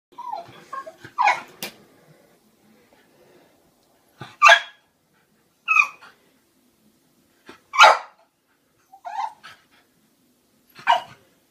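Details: French bulldog scared of clowns, letting out a series of sharp, harsh barks and yelps in bursts spread over about eleven seconds, with brief whiny notes between them and quiet pauses in between.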